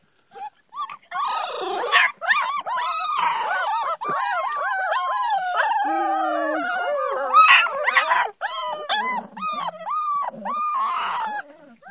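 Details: Puppies playing with their mother dog at a house, a dense chorus of high whines, yelps and squeals overlapping for about twelve seconds, with rising and falling cries and a brief lower steady whimper near the middle.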